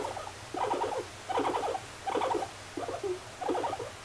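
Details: Guinea pig Moru-chan, a pet, utters short clustered bursts of chattering mid-pitched notes. They repeat roughly every 0.7 seconds in five even groups, with a low background hum throughout.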